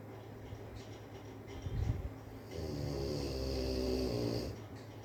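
A sleeping Rottweiler snores with a deep, rasping rumble on a long drawn breath.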